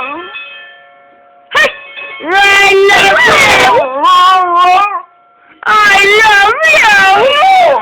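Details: Pet dog howling in response to a doorbell indoors, coaxed to make a sound like saying 'I love you'; a steady ringing tone opens, then two long bursts of wavering, rising-and-falling harmonic howls with brief yodel-like pitch bends.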